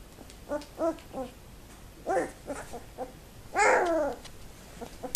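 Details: Two-week-old Labrador Retriever puppies, very active in their whelping box, recorded 7 December 2011: short squeaky whimpers and yelps in quick bursts, several pups overlapping, then one longer wavering whine before a few final squeaks.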